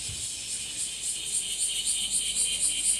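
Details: Brief burst of bear cicada song, the washi-washi, now increasingly common in trees and grass. A sizzling high buzz throbs rapidly, roughly four pulses per second, somewhat quieter than a close singer.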